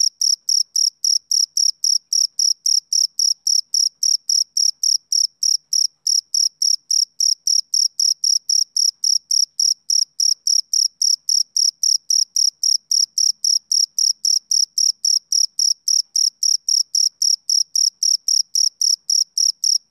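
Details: A male cricket on a summer evening keeps up a continuous, evenly spaced series of sharp, high chirps, near 222 per minute, steady in loudness throughout with nothing else audible.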